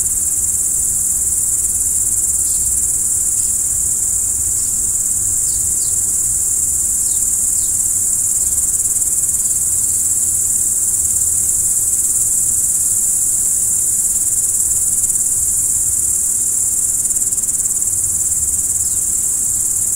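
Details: Crickets at night under the stars, a steady unbroken high-pitched trilling chorus that holds without pause, with a few faint short downward chirps above and a soft low rumble beneath.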